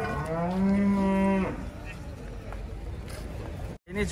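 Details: Jumbo cattle unloaded from a truck at Jelok market, Indonesia: a clear, steady low moo lasting about one and a half seconds, then market chatter and a brief dropout before another short sound.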